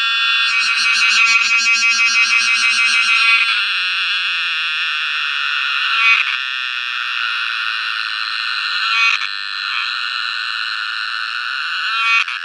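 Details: Cicada song opening with a fast, pulsing rattle that smooths after a few seconds into a long, even, shrill buzzing drone with a few brief stutters.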